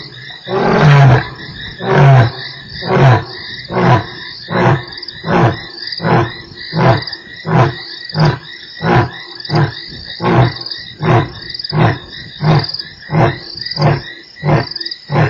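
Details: Lion roaring at Nkorho on 3 March: a loud opening groan followed by a long series of short, deep grunts repeated more than once a second and slowly fading, with insects buzzing throughout.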